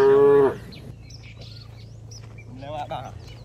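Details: A tame cow in a herd walking home to its village pen gives a loud, short, nasal moo, calling to herd mates that arrived ahead, while birds chirp.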